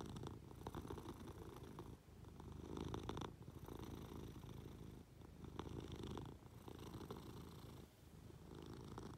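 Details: Affectionate Munchkin cat climbing up onto its owner lying in bed, purring; continuous low rumble rising and falling with each breath roughly every two to three seconds, faint rustle of covers.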